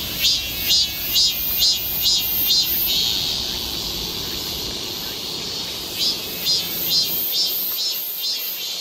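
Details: A cicada chorus along a summer forest walk in Galsan Park, Seoul: soft regular buzzy pulses roughly every half second, fading into a steady shrill hiss, then pulsing again near the end.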